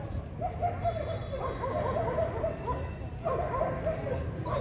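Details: Dog show in Vietnam, January 2020, male German Shepherds aged 18-24 months: two runs of quick barks separated by a short pause, set against continuous background chatter and low rumble.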